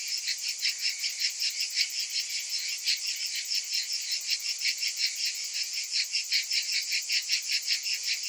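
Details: Many cicadas calling in summer: a bright, rasping, high-pitched drone with rhythmic swells about two or three times a second, some pulses louder than others, and no other background sounds.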